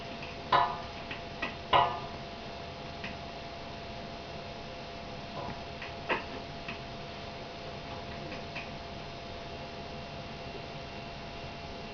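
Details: Sharp ticking clicks sound over a steady low hum in a quiet room, with no clear animal voice. A few louder taps come near the start, then only sparse faint clicks.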